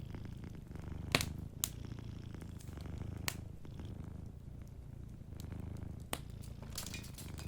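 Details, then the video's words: Deep, pulsing purr of a sleeping cat by a cozy fireplace, the rumble swelling and easing in a slow rhythm while loud crackles from the burning fire snap through at intervals. "Warm Fireplace Ambience with a Sleeping Cat 🐱💤Fireplace & Soft Purring"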